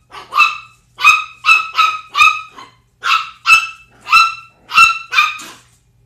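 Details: Pitbull with a 10-week-old Chihuahua puppy; shrill, excited yips and barks come in irregular bursts, about ten in six seconds, some doubled in quick pairs, with clean silence between them.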